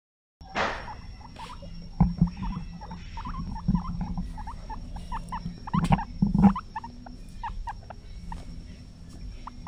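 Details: Guinea pigs in a cage give quick, thin squeaks and chirps in an irregular run over a low hum, sounds they may use to communicate with each other.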